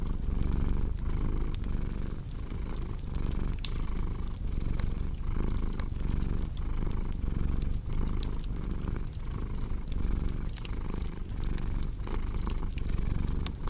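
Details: Strong, steady purr of a cat, a low vibrating rumble pulsing with regular breaths, accompanied by crisp intermittent crackling from a fireplace.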